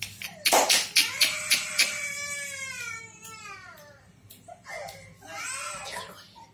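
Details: Toy-breed Lhasa Apso puppies at a pet shop in Lingampally: sharp knocks, then a drawn-out, high whining cry with wavering tones that slowly falls, followed by a shorter second whimper, with faint human voices indoors.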